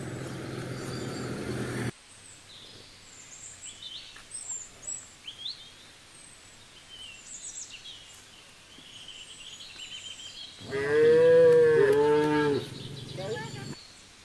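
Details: Cows gathered on the road: after a stretch of scattered bird chirps and twitters, one cow gives a single loud, drawn-out, harmonic moo of about three seconds, falling slightly at the end, with birds still calling faintly.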